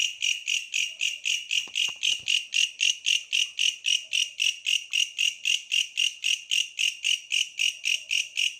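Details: Tree bush cricket calling, evoking the countryside: a steady series of loud, shrill, ringing pulses, about four per second, evenly repeated throughout, with a few soft knocks early on.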